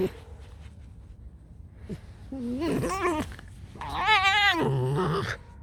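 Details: Pet fox Alice, just awake, lets out a quiet click, then a rising whine and a long, loud, quavering squeal that falls away at its end.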